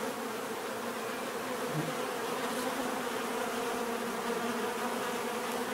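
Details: Natural bee buzzing forms a low, steady droning hum, with a single insect buzzing closer for a moment early on.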